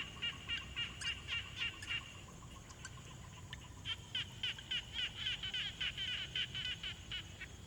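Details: Frogs calling at a quiet pond, recorded with a Tascam Portacapture X6: quick series of sharp, chirping pulses about three to four per second in two bouts, with a thin, steady lower tone early on and soft background noise throughout.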